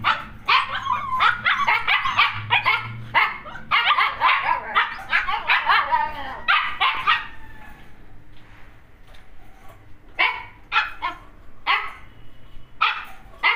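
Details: Siberian Huskies, kept as a pair, give rapid high yipping barks in dense bursts of about two per second. The barking slows into scattered single yips separated by short pauses.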